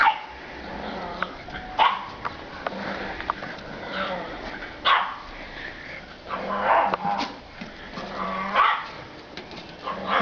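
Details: In a spring 2012 garden, playful bulldog puppies let out scattered yips and rough, growly little barks every couple of seconds, several with a rising whine, while people talk nearby.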